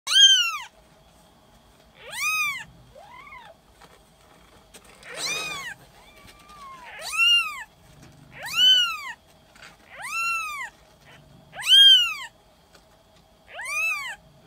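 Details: A five-day-old brown Maine Coon kitten from a cattery in Tokyo, Japan: high, thin, arched mews repeated roughly every one to two seconds, about nine calls, in a quiet room.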